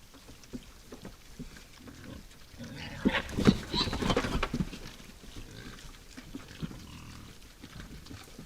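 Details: Wild boar at night at a woodland feeding spot, giving a burst of loud, harsh grunting with a short squeal in the middle, fading back to soft snuffling and quiet background.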